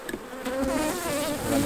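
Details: A single honey bee buzzes close by during a honey harvest at the hives, a loud wavering hum that rises and dips in pitch as it passes, over the softer drone of the colony.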